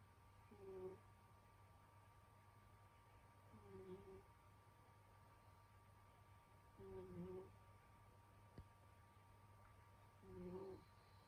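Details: Sleeping house cat Senyora Betsy snoring in winter, four faint whistling snores roughly every three seconds, each a brief wavering nasal tone with a deeper buzz beneath, against constant low room hum.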